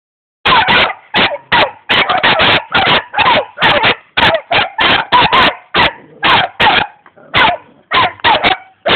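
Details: Young German Shepherd dog in Jamaica, described as ready to attack, barking in a rapid, near-continuous string of sharp loud barks, roughly twenty in nine seconds, with short gaps between them.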